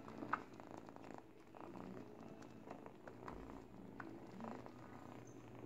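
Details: Purring from an 8-week-old kitten chewing a baby blanket while teething; a continuous low throaty rumble with faint rustling and small clicking bites mixed in.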